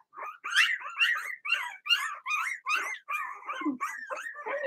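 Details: Young Blenheim Cavalier King Charles Spaniel puppies from a litter of six in a home puppy pen, barking and howling: a steady run of high, slurred yelping barks, about two or three each second, rising and falling in pitch.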